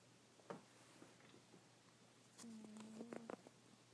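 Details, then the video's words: Yuki the cat snoring while asleep: a faint, steady low whistling tone lasting under a second, with a few soft clicks and taps around it in a quiet room. "Yuki Snoring"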